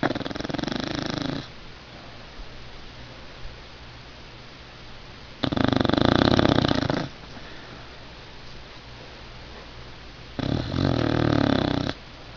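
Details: Pet dog asleep and snoring indoors: three loud, rasping, broadband snores, each lasting about one and a half seconds and spaced roughly five seconds apart, with quiet breathing lulls between them.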